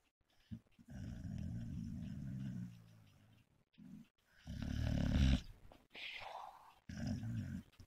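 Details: A sleeping dog snores with low, rasping, rattling breaths in long bursts, one loud snore building around the fifth second, separated by short quiet pauses.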